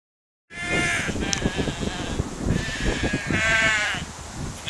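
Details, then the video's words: Sheep eating in a field, with wavering harmonic bleats near 1.5 seconds and a longer one around 3.5 seconds over steady munching and rustling. "Sheepy sheep and friends"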